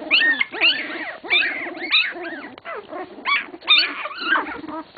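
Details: English Cocker Spaniel puppies, 16 days old, crying in loud, clear arched squeals, each rising sharply and sliding down, repeated roughly every half second by several pups in turn.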